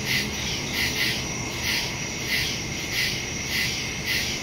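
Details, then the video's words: Crickets in the woods at night, recorded September 2, 2023 on a Samsung Galaxy S22 Ultra phone with a Shure MV88+ stereo microphone: a steady high shrill trill with pulsed chirps about every 0.6 seconds and a faint low rumble. "Crickets in the woods at night"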